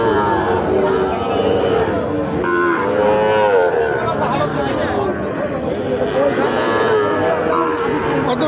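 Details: Sahiwal bull calves at a busy cattle market in Bangladesh: several drawn-out, wavering moos rise above a constant crowd murmur and chatter, with overlapping calls from more than one animal.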